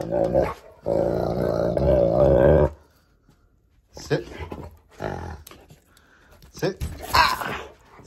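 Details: Pet Cane Corso growling during a rope tug game indoors, one long rough growl followed by scuffling, a person's voice and short noisy bursts.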